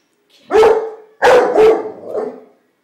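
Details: Pit Bull puppy squabbling with a bunch of flowers: one loud rough bark, a short pause, then two quick harsh barks trailing off into a lower growly tail.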